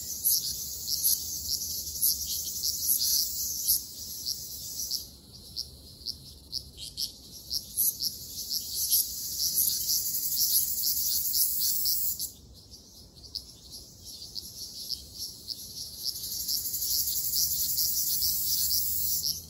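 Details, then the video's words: Ryukyu large brown cicadas singing in a summer forest in Okinawa: a dense, sizzling high-pitched chorus with rapid pulsing. The chorus swells and briefly drops around five and twelve seconds, then returns. "リュウキュウアブラゼミ Graptopsaltria bimaculata 蝉の鳴き声"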